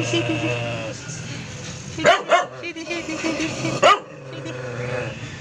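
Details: Two short, sharp barks from Shady, a doodle poodle, come about two seconds apart over a background of voices and a droning tonal hum.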